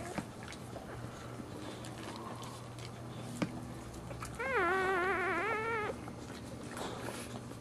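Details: Female dog giving birth while standing gives one sustained whine lasting about a second and a half. The whine is loud, tremulous and wobbling in pitch, over a steady low hum and soft background rustle.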